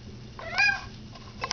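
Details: Domestic cat giving one short, bright meow that climbs and then falls, with a faint second chirp moments later. A person answers it in a conversational way.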